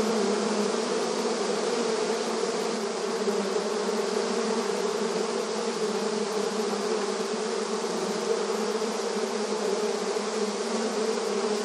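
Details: Honey bees busy at their hive entrance in a rural setting, their buzzing a dense, steady drone that holds unbroken and even in loudness throughout, with no other sounds standing out.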